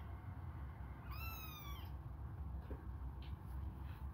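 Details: One bright, high meow from hungry kittens suckling a finger. The single cry slides slightly downward and lasts under a second, then only faint background hum and rumble remain.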